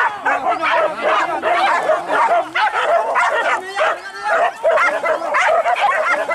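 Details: Hunting dogs on a wild boar hunt give a continuous chorus of high yips, whines and barks, densely layered with no pauses.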